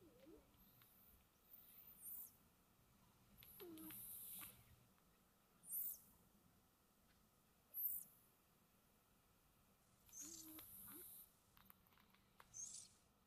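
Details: Sleeping house cat snoring gently, with breathy hissing puffs every two seconds or so, some carrying thin whistled squeaks, in a quiet room.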